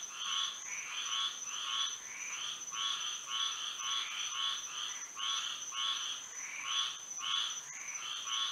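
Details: Night chorus of frogs in Florida by moonlight: bursts of honking, nasal croaks pulse in rough groups of two or three, over a constant shrill insect drone.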